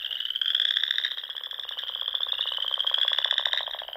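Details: Spring chorus of frogs at dusk by small lakes and ponds in the rolling dunes of the Sandhills, Nebraska: a dense, continuous high trilling drone with overlapping pulsed croaks rising and falling, no other clear sounds.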